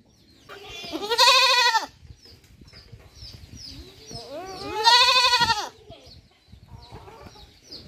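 A young goat gives two loud, wavering bleats a few seconds apart.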